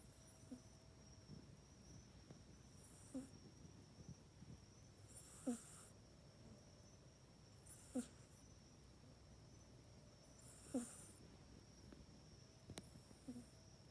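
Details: A sleeping pet cat, Mac, snores in its cat bed, the spot it now uses at night, captured on an iPhone 8. Gentle rasping breaths with a breathy whistle repeat roughly every two and a half seconds, quiet and even.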